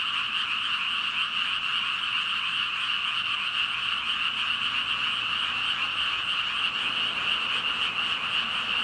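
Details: Chorus of about five thousand frogs, their ribbiting fused into a continuous, even wall of croaking that holds steady throughout, with nothing else heard.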